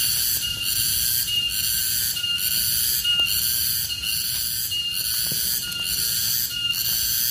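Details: A wild garengpung cicada (tonggeret), an Indonesian forest insect, gives a loud, shrill buzzing drone that pulses roughly once a second.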